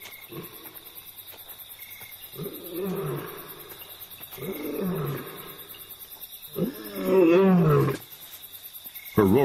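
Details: In Kenya's Masai Mara, a lioness gives deep, throaty roars in spaced bursts, calling for her pride, which is nowhere to be found; the calls are instead heard by two nomadic male lions.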